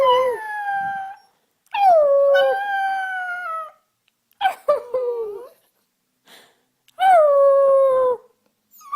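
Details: Puppies learning to howl: several drawn-out, tonal howls around two seconds each, starting high and sliding down then holding steady, separated by short silent gaps, with brief yips between.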